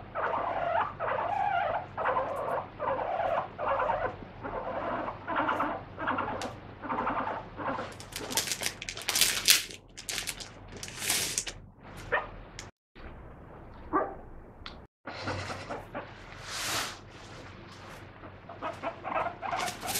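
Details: Free-roaming pet guinea pig squealing while held and wiped for a body check, a rapid run of short harmonic squeaks with a few louder, broader bursts and brief handling rustles.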